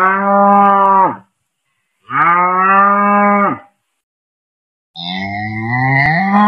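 A cow gives three long, harmonic moos, each steady and droning before dropping away.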